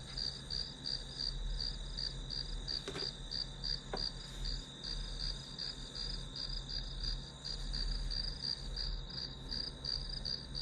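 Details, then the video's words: Grass insects heard as study-session white noise; rapid high pulsed chirping roughly three per second above a constant shrill tone and low rumble, with two brief clicks midway. "풀벌레 소리"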